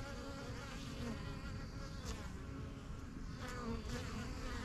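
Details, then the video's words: Honey bees flying in and out of their new yellow backyard hive, among first hives started in spring 2023; a thick steady hum, with brief rising whines as single bees fly past the recorder. "BUSY BEE HIVE AMBIENCE"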